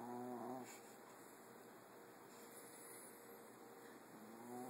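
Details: Boston Terrier (Canis familiaris), female, sleeping and snoring softly, with a nasal, rattling breath at the start and end; the snores frighten a Golden Retriever.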